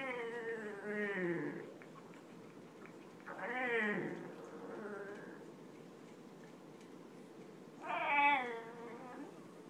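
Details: Pet Boston Terrier getting a butt scratch it loves; three drawn-out harmonic moaning vocalizations, each rising then sliding down, separated by pauses of about two seconds, over a steady low background hum.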